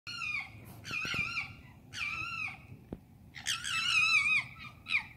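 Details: Foxes at night in London, urban setting: drawn-out harmonic screams with wavering pitch, a few short bursts then a longer, louder wailing scream near the end, with faint low background hum.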